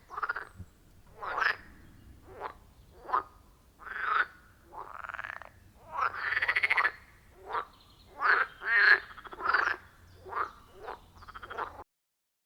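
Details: Wild frogs calling around a quiet forest pond, recorded on an iPhone 14 Pro with a Shure MV88+: a loud chorus of harsh, rasping croaks in short bursts, about fifteen in twelve seconds at an uneven rhythm, with no talking or music.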